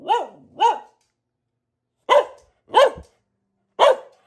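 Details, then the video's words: Short bursts of barking from Luna, a female Boxer kept as a family dog: two quick woofs close together, a pause of over a second, then three more evenly spaced barks. "Relaxing Barking from our Dog - Luna the Boxer"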